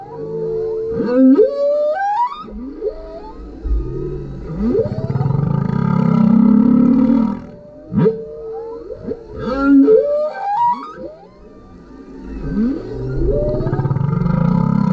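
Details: A male humpback whale sings beneath a kayak, a varied sequence of upswept whoops, wavering mid-pitched moans and low rumbling groans that slide smoothly in pitch, in flowing phrases with short pauses.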